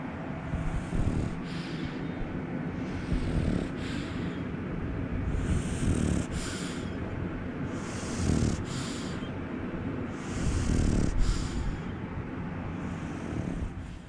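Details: Ginjiro, a French Bulldog, snores and snorts up close: rough, low rumbling inhalations broken by hissing exhalations about every two to two and a half seconds, with short snorting catches between breaths and nothing else audible.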